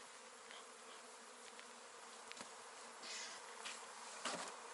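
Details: Beekeeping honey bees give a dense, even buzzing drone with a stronger low hum band and a hissy upper wash, swelling slightly in loudness toward the end, with a few faint ticks.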